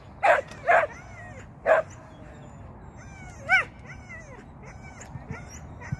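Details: Shetland sheepdog named Sian during agility training, making a first flyer on the seesaw and a first run through the tunnel. Three loud, sharp barks in the first two seconds, then a single rising-falling yelp, then quiet.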